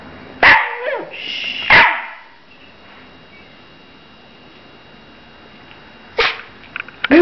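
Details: A pet dog that grows talkative when spoken to or when people eat nearby lets out two sharp, whiny barks near the start, then falls quiet before two more short yips at the end.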